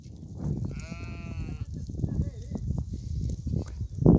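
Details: Goat herd: a single drawn-out, wavering bleat rich in overtones rises out of steady low rumbling from the moving animals, followed by a shorter, quieter call and a sharp close knock near the end.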